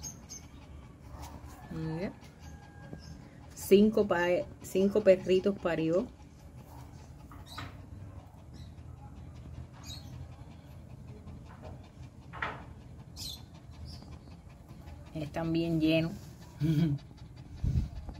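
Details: Newborn Pekingese puppies from a natural litter of five give thin, high, wavering whines in short clusters, some rising and falling, with a person speaking softly between the cries.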